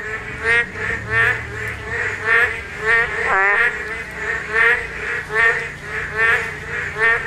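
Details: Spawning Korean narrow-mouthed toads in chorus. Rich, nasal croaking notes recur about once a second, with one louder rising call near the middle.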